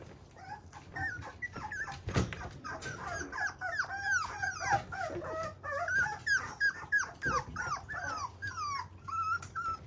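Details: Fluffy young male Toy Poodle in a small room, whining almost continuously with rapid, high, wavering yelps and squeaks, about three per second, and one soft thump early on.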